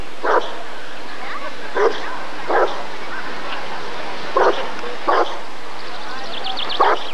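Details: Rottweiler at the 1994 ADRK Körung breed survey, giving six short, loud single barks at uneven gaps of about one to two seconds, with faint background voices and a soft high chirping near the end.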